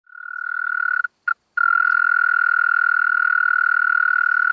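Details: European mole cricket singing in Pabing, Austria, on 31 May 2021: a steady, low churring trill that fades in, breaks off briefly just after one second, then runs on unbroken and even to the end.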